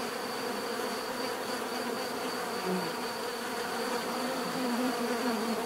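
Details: Steady bee buzzing, a droning hum of overlapping tones growing a little louder toward the end, with individual buzzes rising and falling and a thin high whine behind.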